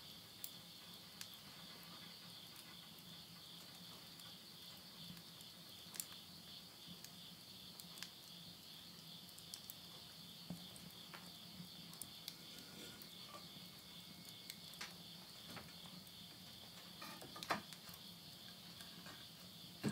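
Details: Insects at midnight in the Japanese countryside of Yurihama, Tottori, late summer September 2020, heard from a house with a wood stove: a steady, shrill high drone runs throughout, broken by irregular pops and crackles of burning wood and a faint low hum.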